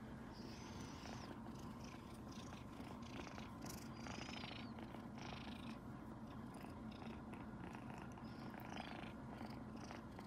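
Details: A happy kitten purrs loudly and steadily beside two resting tabby cats while being stroked by its owner, a low continuous rumbling throb that never pauses.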